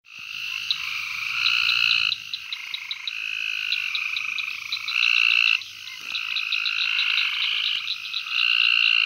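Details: Gulf Coast toads at Fort Polk, Louisiana, on 24 June 2020 give steady, buzzy trills that overlap and hand off to one another.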